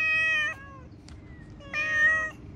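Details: Outdoor cat giving two loud, clear, even-pitched meows about a second apart, with a faint click between them.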